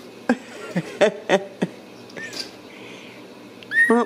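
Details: Ragdoll kittens raised indoors without cages at a cattery in central Kansas; several short, rising-falling kitten mews in quick succession, then a louder drawn-out cry at the end, with a person's voice talking nearby.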